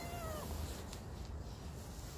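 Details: Ruby, a playful stray cat, gives a short, faint meow that slides gently downward and fades within half a second, over a low steady background rumble.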